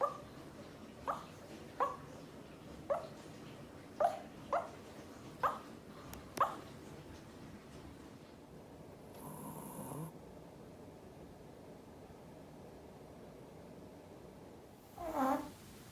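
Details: Sleeping male Pomeranian making sleep-talk noises: a run of short, soft whimpering yips spaced about a second apart, then a pause with a brief rustling hiss and one final louder squeak near the end.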